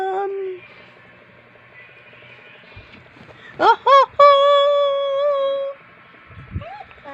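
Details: Dog 'talking': a soft low moan fades out, then a pause, two quick arched yips, and a sustained level howl lasting about a second and a half. Faint music lies underneath.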